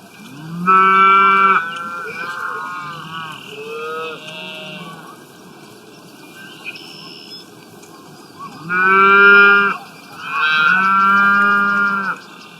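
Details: Several deep, rich moos from cows grazing on grass in the wild: a loud call at the start, softer bellows around three to five seconds, then two strong, long moos near the end.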